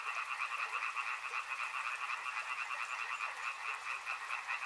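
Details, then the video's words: Riverside frogs croak together in a thick, continuous chorus, the sound throbbing in quick, slightly uneven pulses across two layered pitches, with no pauses and a faint hiss behind. "Frog Sounds | Soothing sounds of river and frogs"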